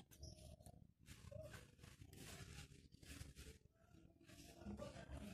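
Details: A pair of caged Asian palm civets giving harsh, noisy growling bursts that come roughly once a second, each a rough broadband rasp with brief quieter gaps between, over steady low background rumble.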